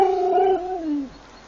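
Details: Siberian Husky in the Urals gives a short sliding howl, holding a level tone then gliding downward and fading after about one second.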